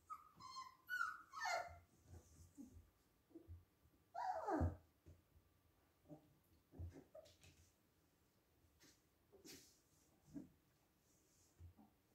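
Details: Playing husky pups: quick squeaky yips open the passage, a louder falling yelp follows after a pause, then scattered soft squeaks and scuffling.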